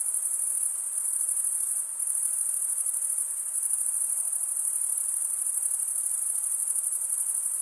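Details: Crickets chirping in a sharp, sustained high trill with a brief dip in loudness about two seconds in, then continuing unchanged over a soft hiss.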